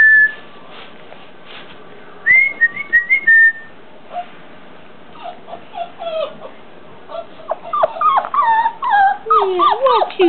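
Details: Four-week-old English Mastiff puppies whimpering: high, thin whines with bright overtones, some sliding up and down, others falling, coming in short bursts that crowd together near the end, while a woman chatters to them in a small room.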